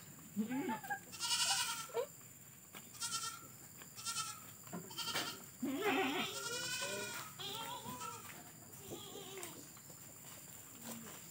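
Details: Goats bleat from a pen near a village house surrounded by garden and forest, where cattle are also kept. Short, quavering, nasal bleats come in quick bursts, some overlapping, over steady background hiss.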